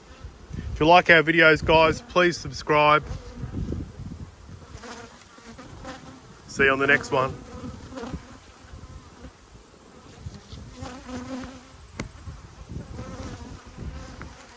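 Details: Honey bees up close during a hive inspection on 19/3/22, yellow and black hives. Loud buzzy bursts with stacked harmonics come as bees fly past, strongest in the first three seconds and again near seven seconds, then a softer background hum.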